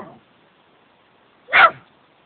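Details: Dachshund barking at a statue in Wales gives a single sharp, loud bark after a short faint sound.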